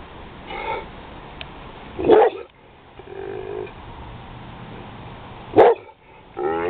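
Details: Roscoe the pit bull, hearing thunder, lets out short sharp barks at about two and five and a half seconds, with quieter whining murmurs between and a rising whine at the end.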